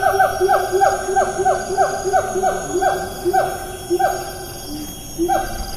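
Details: Siamang in rainforest at Taman Negara National Park, Malaysia, 4 April 2019, giving a rapid series of loud, falling, barking notes about twice per second, each with rich harmonics, pausing briefly before a final note; faint insect whine above.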